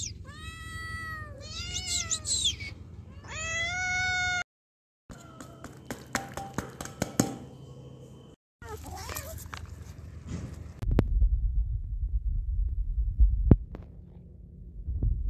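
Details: Hungry cat calling for food with three loud wavering meows in the first four seconds, followed by handling clatter, thumps and low rumbling noise.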